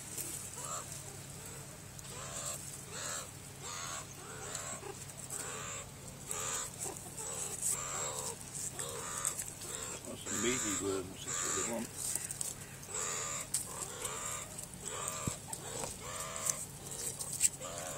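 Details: Meerkats giving short, harsh chirping calls repeated steadily about twice a second throughout, over a constant high-pitched hiss.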